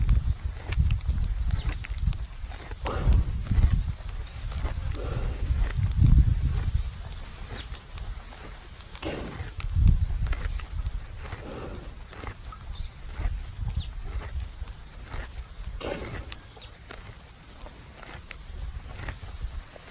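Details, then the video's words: Buffalo lying at rest at noon in a farmer's field, chewing the cud: dull, low, rhythmic crunching and thumping in quick succession, heavier during the first half, with faint rustles and outdoor ambience above. "Sound buffalo chewing the cud"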